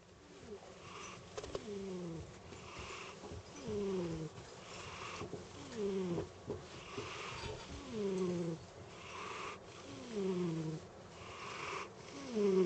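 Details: Sleeping pet cat snoring: airy breath noises every two seconds or so, each ending in a falling, whistle-like tone. The breaths vary a little in length and loudness. The room is otherwise quiet.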